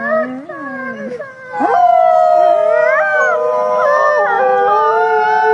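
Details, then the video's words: Howling wolf on a trail camera: a quieter low wavering howl opens, then a rising swoop launches a louder chorus of overlapping sustained tones with gliding pitch. "wolf howling on trail camera"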